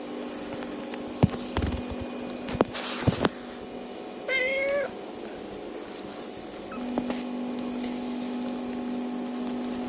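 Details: Tiny kitten crying for its mama cat: one short, clear, slightly descending mew near the middle, preceded by handling clicks and rustling, with a constant electrical hum throughout.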